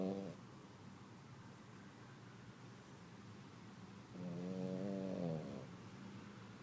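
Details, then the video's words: A female Poodle sleeping after a day of activity at a small country property gives one drawn-out nasal snore of about a second and a half, with the tail of an earlier one at the start, in a quiet indoor setting. "Cadela Poodle ronca - cachorro Poodle roncando"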